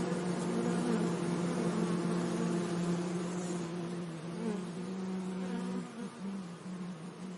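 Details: Bees buzzing among flowers in a sunny meadow: a steady low hum with a clear drone and stacked overtones, wavering slightly in pitch and dipping briefly near the end as an insect moves off.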